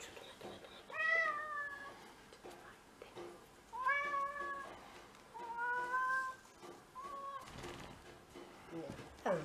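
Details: Indoor house cat, one of six in the home, recorded in February 2023 on the day of first snow; a series of four or five tonal meows, each about a second long, mixed with quiet human murmuring and handling noise.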